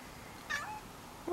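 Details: Silver tail-less tabby cat, female, meowing indoors while watching falling snowflakes; a short falling meow, then a louder meow starting at the end, with a woman's quiet speech around it.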